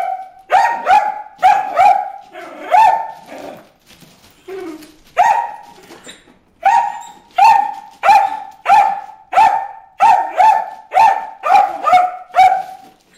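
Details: Bruce, a dog, barks repeatedly at fish in a water hole, steady volleys of sharp tonal barks roughly two per second, a short lull early on, then an unbroken rapid string.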